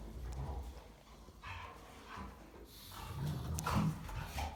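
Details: Three German Rottweilers playing and wrestling, one telling the others off, give deep, rough growls and short gruff bursts of barking in an irregular, rapid tumble.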